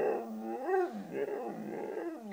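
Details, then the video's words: White female Siberian Husky 'talks' because she wants cheese doodles, giving one continuous, grumbling, moaning vocalization that swoops up in pitch and back down, like a drawn-out woo-woo. "Husky Talking"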